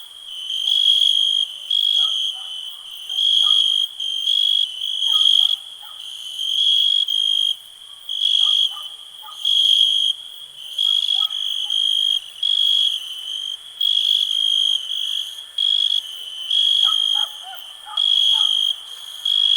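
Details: Relaxing cricket chorus: a bright, unbroken high trill pulsing into loud buzzy bursts about once a second for twenty seconds, with faint clusters of soft lower chirps in between.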